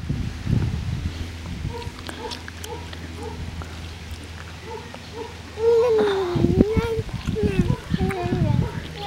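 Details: Six-week-old Lakeland Terrier puppies from the Octavia-Oscar litter, born 5/29/18: a run of soft, short, high whimpers, then a louder, drawn-out whine that wavers in pitch, with people talking and rustling underneath.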